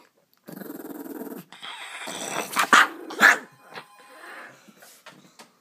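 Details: Pet dog reacting as someone tries to take his food: a sustained rough growl for about a second, then louder harsh barks and snarls peaking near the middle, trailing into softer grumbles and scattered clicks.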